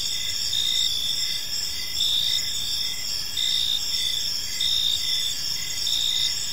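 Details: Crickets chirping in a peaceful park as evening unfolds: a dense, high shimmering chorus with bright pulsed trills layered over one another, plus a fainter short chirp repeating about once a second beneath steady background hiss.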